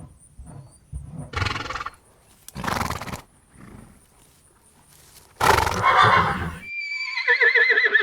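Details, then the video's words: Horse in a round: several short, noisy snorts and blows with scattered hoof sounds, followed at the end by a quivering, vibrato whinny with rapid pulsing. "Horse In A Round Sound Effects Bundle"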